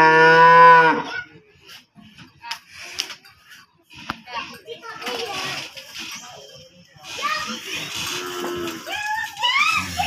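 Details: Aggressive cow let out of its pen and back in again: a strong low moo lasting about a second opens, followed by people talking, clattering and general commotion.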